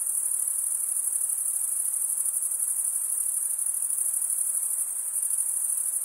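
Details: Male crickets chirp by drawing one wing across the serrated vein of the other, heard as a sustained high-pitched trill with a fast regular pulse, steady and uninterrupted, nothing else present.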